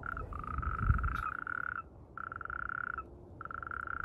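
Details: Mating natterjack toad, in amplexus, giving a run of long, buzzy rattling trills. Each stays at one steady pitch and is separated by short gaps, over faint low background noise.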